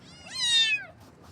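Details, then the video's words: A single loud kitten meow from cute baby kittens in the morning, rising sharply, holding, then gliding down and fading. "Kitten Meows"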